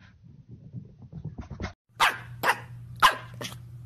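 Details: Corgi barking indoors: after soft shuffling, four sharp, loud barks come about half a second apart, with a steady low hum underneath and human laughter close by.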